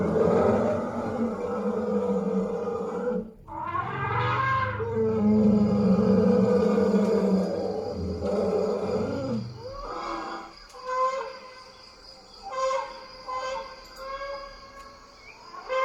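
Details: An African savanna elephant trumpets a loud, brassy blast that gives way to a deep, rough rumble.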